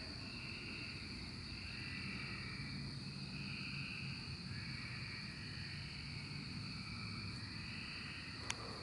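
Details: Emerging cicadas in 2024 fill the air with a steady shrill tone, while lower buzzing phrases swell and fade roughly every second or two; a single sharp click sounds near the end.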